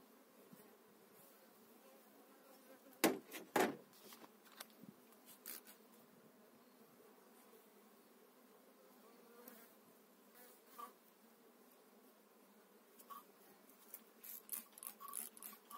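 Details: Low droning hum from honey bees in an open hive, spring 2018, after eight frames were moved into a new hive. Loud knocks of frames being handled around the third second, then scattered clicks and rustles over the steady buzz.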